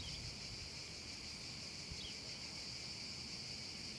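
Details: Cicadas singing on a hot summer afternoon over a meadow: a steady, unbroken high-pitched hiss that holds level throughout, with a soft low rumble of background noise beneath.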